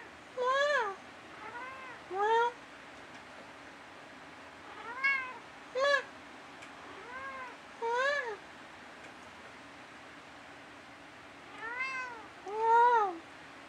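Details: Domestic cat at night indoors, talking back and forth with its owner: a series of short tonal meows, arched and rising-falling, about eight calls spaced one to two seconds apart in a quiet room.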